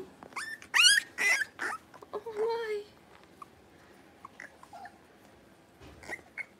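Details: Young Blenheim Cavalier King Charles Spaniel puppies, one of a litter of five in a home puppy pen, give a burst of shrill, rising yips followed by a drawn-out whine, then quieter scattered squeaks.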